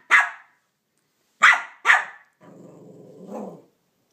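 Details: Banjo, a Cavalier King Charles Spaniel, barks three times at Minnie Mouse over his stolen bone, then a low throaty growl follows, ending with another bark onset.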